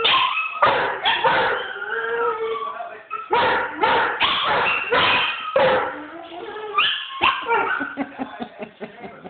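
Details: Scottish Deerhound howling together with other dogs in Ballymoney, recorded on a phone; overlapping wavering howls and yips in several voices, with drawn-out tones breaking into choppy short cries toward the end.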